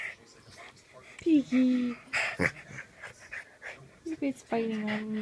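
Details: Two pet dogs, Brady, a Boston terrier, and Piggy, a frenchton, playing together: drawn-out tonal whining grumbles, steady then slightly falling, come in three bursts between softer snuffles and panting, with a sharp clatter midway.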